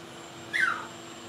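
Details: Single short, high yip from a Blenheim Cavalier King Charles Spaniel puppy, one of a five-pup litter born at New Year and kept in an indoor puppy pen, sliding downward in pitch over a faint steady hum.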